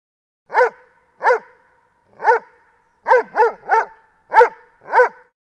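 Loud, full-throated barks from a Doberman, each short and punchy with a rich, harmonic tone. They come irregularly, a few spaced apart and then several in rapid succession.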